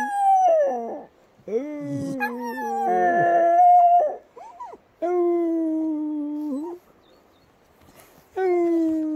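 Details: Patterdale Terrier singing in long, wavering howls, some with yelping, broken onsets, held notes gliding slightly up or down, with quiet gaps of one to two seconds between phrases.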